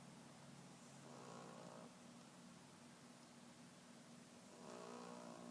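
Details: Vader, a pet Boston Terrier, snoring very loudly while asleep in his bed; two drawn-out raspy snores about three and a half seconds apart over a steady low indoor hum.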